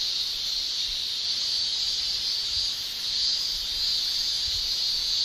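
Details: Japanese cicadas in summer, males producing tymbal song; a constant shrill hiss-like buzz holds steady, softening slightly midway before rising again, with faint low thumps beneath.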